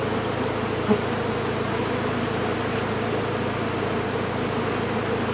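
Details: Honey bees from a large colony removed from a condemned chimney, producing a constant deep buzzing hum, with one brief knock near the first second.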